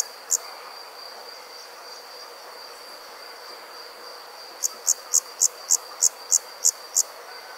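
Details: After dark, a cricket sounds a single high chirp, falls silent for several seconds, then resumes with eight rapid, evenly timed chirps; a faint steady whine runs underneath throughout.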